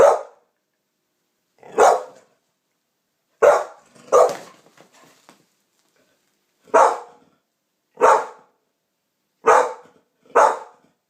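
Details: After a strange noise, a champagne American Pit Bull Terrier gives eight sharp barks at uneven gaps of one to two seconds, with a brief low grumble after the fourth bark.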